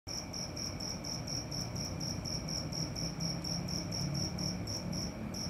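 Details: Cricket calling at night: a high, even chirp pulsed about four times a second over a steady faint higher tone, with a low rumbling background hum throughout.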